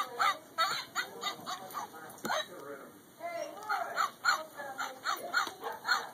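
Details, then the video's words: Pet Border Collies vocalise to Jingle Bells at Christmas 2011: repeated short, reedy yowling notes in uneven bursts, a brief lull mid-way, then quick bending cries resume against a constant electrical hum. "Border Collies Christmas Jingle Bell Singing Dog"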